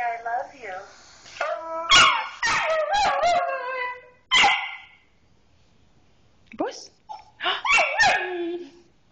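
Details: Siberian Husky howling back after its owner says "I love you": wavering, drawn-out vocal tones that rise and fall in several bursts, mixed with a woman speaking affectionately in Spanish and English between howls.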